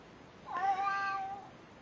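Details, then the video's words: Pet cat greeting with a single clear meow lasting about one second, slightly rising then held level and fading, in a quiet room; a person greets the cat just before and after. "Cats Saying Hello"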